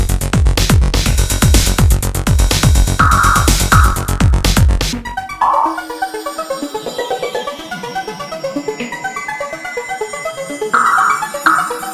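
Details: Loud electronic dance music with heavy beats and synthesizer tones fills the recording, no animal sound.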